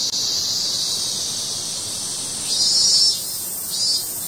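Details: Loud, continuous shrill buzzing of a cicada, holding steady and then swelling twice near the end before settling back to an even drone.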